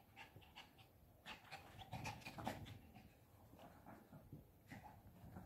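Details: Shih Tzu puppy Bradley, five months old, playing indoors in a pop-up tent; soft, quick panting breaths come in a loose run, about two to three a second, mixed with scuffling and fabric rustle.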